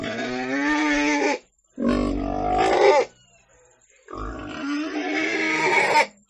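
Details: Pig giving three long, drawn-out squealing cries, each over a second long and separated by short silences, harsh and harmonic with a strained, wavering tone.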